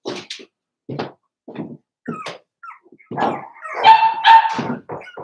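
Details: Four-week-old Cavalier King Charles Spaniel puppies penned indoors, with scattered soft puffs and short barks building into a louder, sustained whining yelp near the end.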